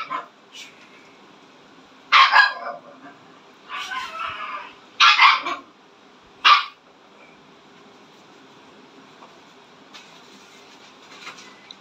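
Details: Siberian Husky barks in a loose series of four to five harsh, noisy barks spaced one to two seconds apart, then falls quiet with faint background sounds.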